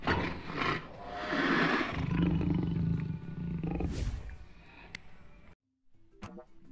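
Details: A tiger (Panthera tigris) roars, a deep, rumbling, rough, drawn-out roar that swells and fades over a few seconds.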